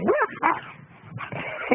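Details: Akita dog barking: a few short, harsh barks in quick succession, a brief pause, then another burst of barks toward the end.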